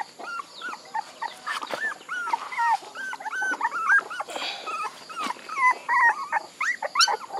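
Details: Puppies whimpering together: many high, arched whines and squeals overlap in a steady chorus, with short thin yelps cutting through and no quiet gaps.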